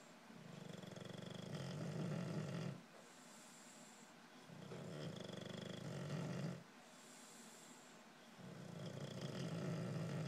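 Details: Jordin, a female English Bulldog exhausted after just having puppies, snores loudly in deep, rattling rumbles that return roughly every four seconds.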